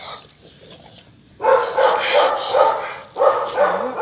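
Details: Night walk with a Rottweiler: after a quiet start, a quick volley of loud barks, a short break, then more barking, with a low human voice faintly behind.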